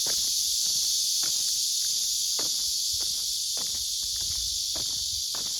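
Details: Cicadas loudly singing in summer at a fortress village with a breeze: an unbroken, buzzing high drone over irregular footsteps or clicks.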